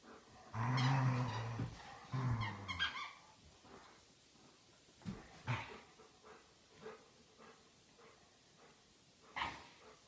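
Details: Dolly and Chewy, a pair of Old English Sheepdogs, play indoors at home. Two low, harmonic growls come in the first three seconds, then quieter scuffling, clicks and thumps.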